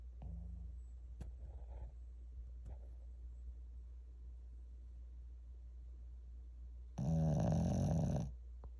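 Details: Shih Tzu dozing at home, relaxed: a long stretch of quiet, faint breathing with a few soft clicks and rustles, then one loud, deep, rattling snore lasting over a second near the end.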